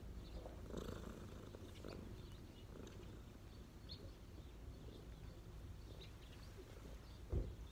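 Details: Cat relaxing on its owner's knees, purring as a soft, steady low rumble close to the ground noise, with faint scattered ticks and rustles above it.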